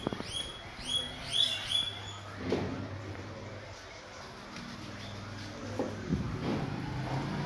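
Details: Guinea pigs eating guava at breakfast give a rapid series of bright, rising whistled squeals in the first two seconds; chewing and rustling sounds and a quiet hiss follow.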